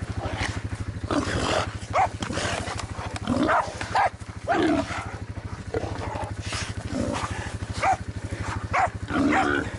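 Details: Jack Russell Terrier out boar hunting, giving loud, sharp barks in irregular bursts about every half second to second, over a steady throbbing engine drone.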